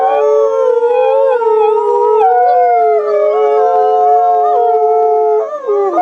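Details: Wolf pack chorus howling to bond and communicate, multiple voices holding long drawn-out notes that slide slightly up and down, stacked in harmony, with one voice dropping sharply near the end.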